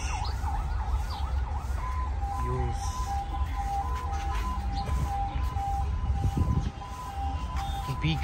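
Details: Steady siren-like tones wail over a dense rumble of traffic and crowd voices at a busy livestock market.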